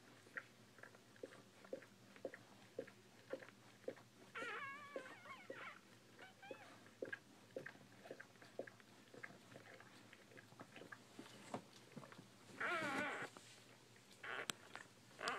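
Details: Newborn Bull Pei puppies, with steady soft clicking and smacking throughout, broken by a short run of wavering squeals early on and two brief, louder cries near the end.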